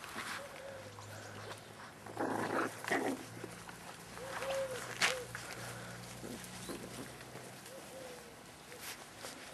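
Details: Staffordshire Bull Terrier puppies of litter K, Staff Komas kennel, 38 days old, 20 September 2010; thin arched whines repeated every couple of seconds, mixed with scuffling bursts and a steady low hum underneath.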